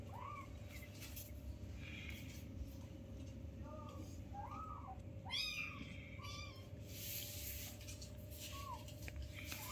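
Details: Young newborn kittens playing beside their mother give scattered faint, short mews, one brief sharp squeal midway, with a steady electrical hum and quiet room noise throughout.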